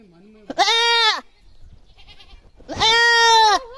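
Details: Screaming goat giving two loud, strained, quavering bleats about two seconds apart, a softer low bleat just before the first.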